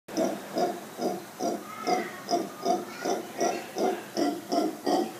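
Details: Mantled howler monkeys, called Congo monkeys, calling outside a room at Bosque Del Mar in Playa Hermosa, Costa Rica: a steady series of hoarse, pulsing grunts repeated about two to three times per second, evenly spaced.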